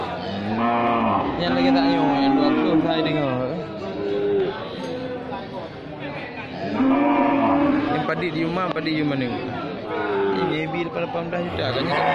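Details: Many cattle of various types, from small to jumbo, gathered at a sales site. They give long, wavering, harmonic moos that recur every few seconds and overlap with background chatter.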